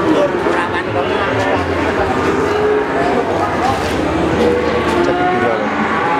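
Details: Moos from cattle at Ambarawa's Pasar Sapi Pon market in Semarang before 2021, short low lowing calls half-buried in a dense wash of crowd voices and market noise.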